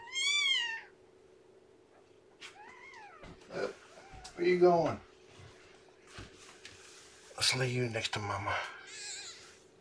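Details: Lethargic newborn kitten with dropping weight, being fed and warmed indoors without a kitten pile: one loud, high, clear mew that rises and falls near the start, then a person talking, soft squeaks and handling noises.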